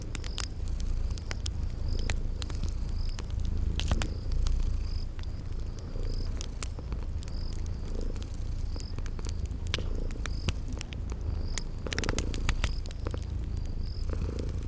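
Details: Purring of sleeping kitties by a crackling fireplace, spring garden setting: deep, even rumble swelling with each breath roughly every two seconds, dotted with fire pops and a regular high chirping.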